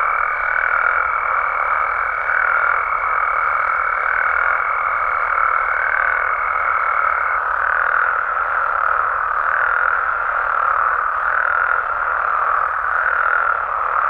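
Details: Night in Mexican frog habitat: a thick, ceaseless chorus of trilling croaks from many amphibians, slightly pulsing in strength, with a steady high tone sounding through the first seven seconds.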